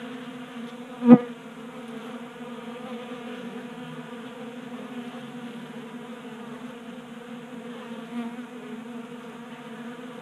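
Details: Wing hum of honey bees feasting at a 3D-printed feeder on a workbench in a Colorado garage, January, 60 degrees. Even, low buzzing drone with one sharp tap near the start.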